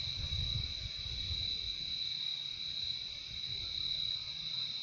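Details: Steady cricket chorus, a calming sound of insects: an even, high continuous trill with a quieter secondary band, over low rumbling that is strongest at the start.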